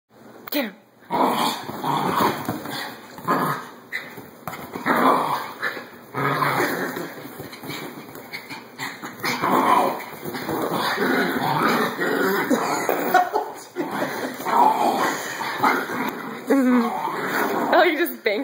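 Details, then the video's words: Small dogs, a Chinese crested, a Chihuahua and a Yorkie mix, play fighting: near-continuous raspy growls and snarls with short yaps, dense and noisy throughout, a few brief pauses, scuffling sounds mixed in. "Tiny Attack Dogs in Action"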